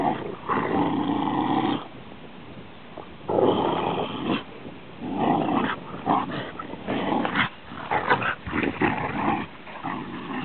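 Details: Rhodesian Ridgeback kept as a pet, growling in rough, throaty rumbles broken into uneven bursts of one to two seconds, some rising into grumbling whines, indoors.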